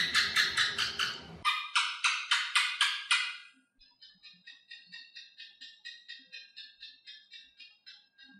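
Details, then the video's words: An Asian house gecko, known as thạch sùng in Vietnam and commonly found on house walls, gives a rapid series of sharp clicking chirps, about four per second. A louder run is followed by a quieter, longer series. "Tiếng Kêu Con Thạch Sùng - Aisan House Gecko Sound"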